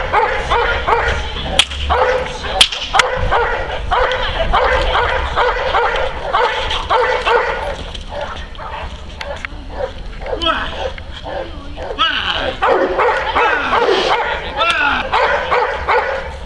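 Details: Neapolitan Mastiff Kuba defends his owner from several agitators, barking steadily and hoarsely at roughly two to three barks per second, while people shout and sharp knocks sound through the commotion.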